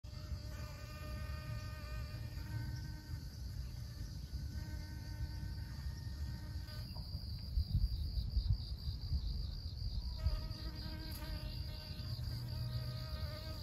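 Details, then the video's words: Honey bee pollinating flowers at Siosar, Karo, North Sumatra, Indonesia: a steady, humming buzz with rich overtones for about seven seconds, a pause, then the hum returns near the end, over low rumbling wind noise and a constant high whine. "Mengintip proses lebah madu melakukan penyerbukan pada bunga"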